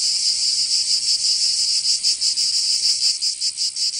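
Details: Provence summer cicadas, southern France: a steady piercing high-pitched buzz, smooth at first, then breaking into irregular throbbing pulses toward the end.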